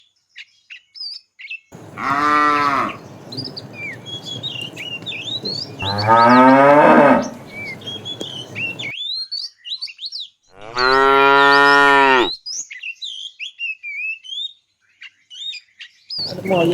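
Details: Tame cows herded in the morning toward green grassy fields, giving three long harmonic moos about four seconds apart, the later ones rising and wavering, over busy whistled bird chirps and scattered rustling.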